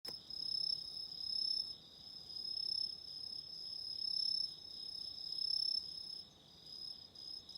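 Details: Autumn insects calling at night: a steady, shrill, high-pitched trill layered in several bright tones, swelling and fading in loudness every second or two, with nothing else clearly heard.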